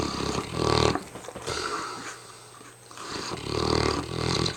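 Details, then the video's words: Mastiff Hamish, worn out, snoring with two loud, rattling, growl-like snores about three seconds apart and a softer breath between them. "Hamish the mastiff snoring up a storm"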